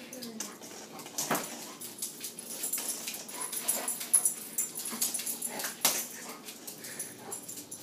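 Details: A dog playing with his new toy makes faint, thin whimpers mixed with scuffling and sharp clicks. The sound is soft and irregular throughout.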